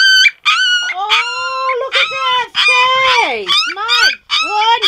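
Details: Frustrated three-week-old Golden Retriever puppy, unable to climb out of his whelping bed again, fussing with long, loud, wavering howls and whines that slide up and down, nearly continuous with brief breaks, a woman's voice briefly heard.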